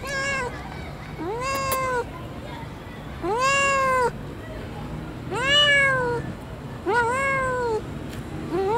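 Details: Cat giving five loud meows spaced roughly every one and a half seconds, each an arched, whining tone rising then falling; a voice repeating a spoken watermark is heard, with a low urban hum behind.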